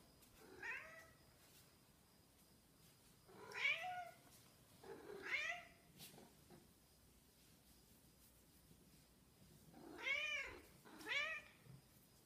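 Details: Snowshoe cat calling for its absent owner: five plaintive arched meows in two bunches, three early then a quiet gap, then two close together near the end, in a quiet room.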